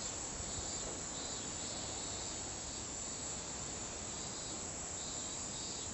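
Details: Kaempfer cicada, known locally as niinii-zemi, in a continuous high buzzing drone. The shrill band swells and fades in slow pulses over steady background hiss.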